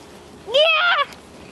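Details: A single Vizsla puppy, thirty days old, from Dea Kalì and Fiuto's litter, lets out one clear half-second whine that rises then levels off in a thin, nasal squeal over a quiet room.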